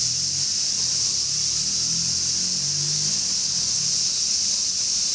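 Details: Large brown cicada's sizzling summer song runs evenly throughout, while low wavering tones, like distant music or engine hum, drift underneath; heard as part of a 'semi-shigure' cicada shower.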